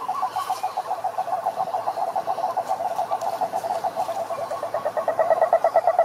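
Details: A rapid rattling toad croak, evenly pulsed and mid-pitched, carries for six seconds, growing louder and sharper toward the end as a second trilling voice seems to overlap.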